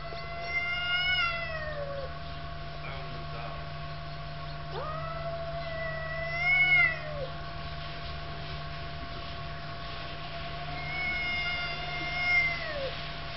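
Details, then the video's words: Cats quarrelling with repeated drawn-out yowls, three swelling bouts a few seconds apart, each rising sharply then sagging at its tail; a continuous low hum runs beneath. "Cats quarrel"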